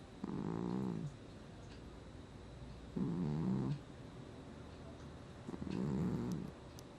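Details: Gnusmas, a domestic cat, snoring in his sleep, August 2020: three rough, rumbling low snores, each lasting under a second and recurring about every two and a half seconds, with quiet pauses between breaths.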